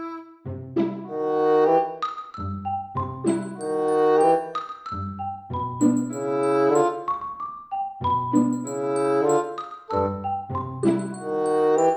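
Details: A bright marimba or xylophone melody plays in repeating phrases over low bass notes, with no animal sounds.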